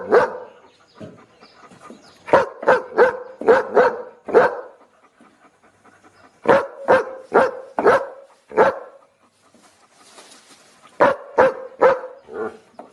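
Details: Looped barking from a dog: loud, clipped barks fired in rapid bursts of four to six, each burst followed by a quiet gap with faint breathy noise.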